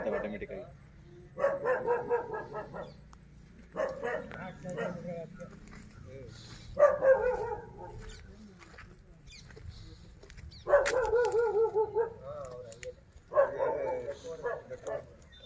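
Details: Hallikar calves, male and female, at Boregowdannadoddi, Sathanur Hobli, Kanakapura Taluk, Ramnagar, giving five separate bawling calls, each about a second long with falling pitch, spaced two to four seconds apart, with a low background hum.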